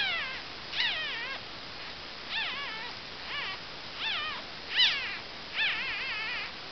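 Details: Female Cavalier King Charles Spaniel puppies, two days old, squeaking in short, high, wavering whines, several overlapping, coming roughly every second with brief quiet gaps.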